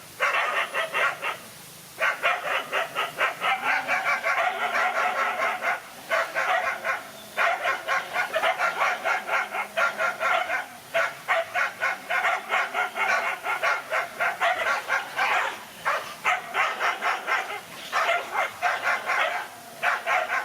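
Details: Fierce, almost unbroken barking as a single dog fights two male dogs. Dense rapid barks run for twenty seconds with only brief gaps, some overlapping as if from more than one animal, over faint background noise.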